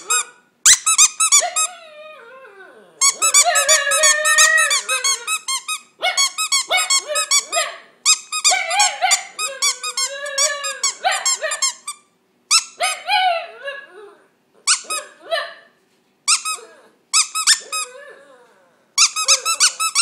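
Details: A pet dog singing a solo indoors in a small room: bursts of high, squeaky yelping notes in quick runs, broken by short pauses, with a lower wavering howl sliding beneath some phrases.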